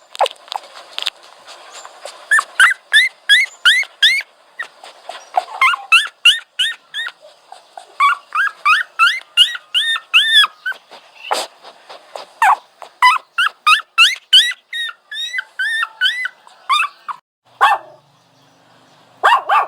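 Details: A dog whining steadily for twenty seconds: fast runs of thin, high, hooked whimpers, about three per second, some stretched into longer wavering cries, with brief breaks between bursts.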